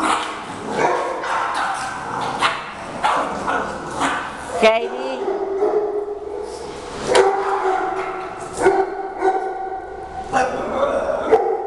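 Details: Shih Tzu dogs play-fighting at home, one protecting a newly arrived Yorkie from the rest of the pack; short sharp barks and yips come in bursts, with a woman's voice talking over them and a long tonal whine midway.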